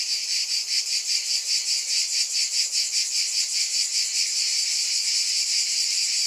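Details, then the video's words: A chorus of cicadas makes a loud, hissing buzz that swells and fades rhythmically, roughly two to three pulses each second. "Scintillating Cicadas"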